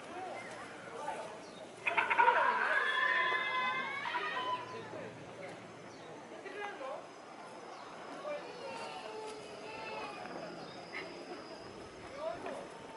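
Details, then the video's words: Chimpanzee named Tsutomu displaying at Japan Monkey Center, Inuyama City, Aichi Prefecture, Japan, on 13 October 2013: a sudden loud, harsh, harmonic screaming burst lasting about two seconds, then quieter sounds and visitor chatter in the background. "Chimpanzee Tsutomu Display"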